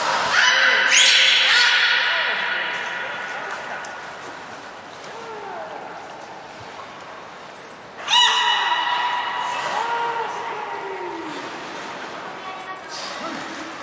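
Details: Beluga in training with Gray, Mirai and Niko at Port of Nagoya Public Aquarium, Japan, 16 December 2018: rich buzzy harmonic calls open and return mid-clip, with low gliding tones, brief high trainer's whistles and faint background voices.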